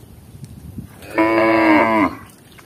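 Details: A single loud, steady moo lasting under a second comes from tame village cattle roaming fields and drinking water at a village lake in Indonesia. Quiet rural background.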